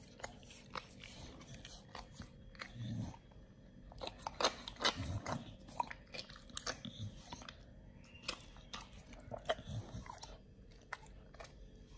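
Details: Nomyen, a Pit Bull on raw feeding, crunching raw quail: quieter, uneven bites and cracking snaps, several sharp bone crunches clustered in the middle, with soft wet chewing between.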